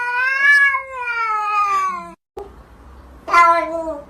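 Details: Domestic cat giving a long, wavering meow that rises then falls for about two seconds, followed after a short pause by a second, shorter meow, indoors.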